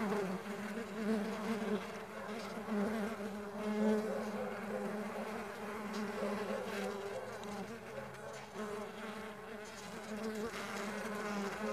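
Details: Humming of many stingless bees kept on a farm: a dense, unbroken drone with gently wavering pitch and loudness throughout.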